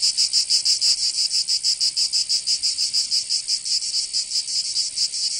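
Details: Cicadas in the Provençal summer of southern France: a sharp, high-pitched rattling buzz, clearly pulsed at about five beats a second, each throb distinct, over an otherwise quiet background.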